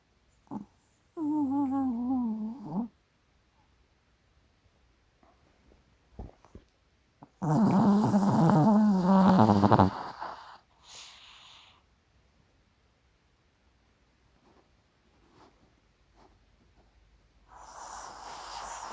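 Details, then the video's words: Maltese dog snoring in its sleep: two rough, buzzy snores, one short and one about three seconds long, several seconds apart, with soft rustling and a brief noise burst at the end. "흔한 말티즈 코골이"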